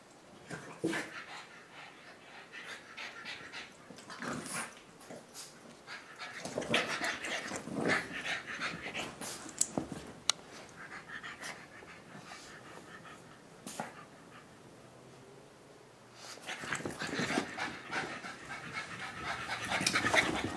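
French Bulldogs snort, pant and grunt in irregular bursts as they run about.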